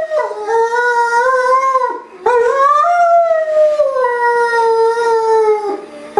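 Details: Pet Great Dane alone indoors, howling because it misses its owner; two drawn-out tonal howls, the first swelling upward, the second gliding slowly down after a short gap, over a low constant hum.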